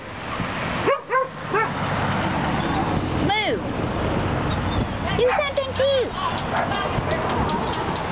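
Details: Moo, a rescued female dog relearning to use an injured, poorly grown leg and hip; a few high, arching whining yelps near one, three and five to six seconds over a constant low rumble.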